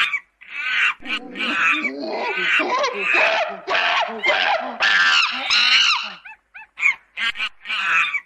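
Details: Monkey chatter forming a dense, continuous stretch of overlapping squeals, grunting undertones and wavering screeches for about six seconds, ending with separate short high chirps and a final screech.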